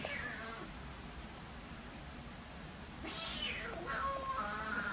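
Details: Siamese cats indoors, a kitten about three months old settling in with her roughly one-year-old half-brother, August 2009: a rising-then-falling meow, then a shorter wavering tonal meow, faint over steady room noise.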